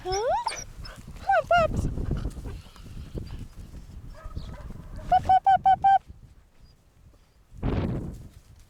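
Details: Young puppies on their first outdoor ramble, wet-footed after the pond, let out a rising whine, a couple of squeaky yelps, then a quick run of four clipped yips, with outdoor rustling and a person nearby.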